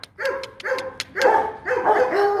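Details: Rottweiler Kute Gervi, 15 months old and bred from Bruno tí hon and Cynia Gervi, barks in a run of rough, harmonic bursts that lengthen toward the end, mixed with crisp clicks and taps.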